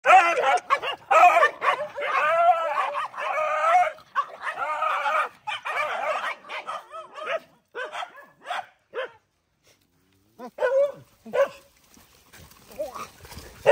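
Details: Poor dogs fighting while being fed: bursts of harmonic whining growls and yelps packed together for about five seconds, then shorter broken snarls separated by brief silences, with a final cluster of sharp yips.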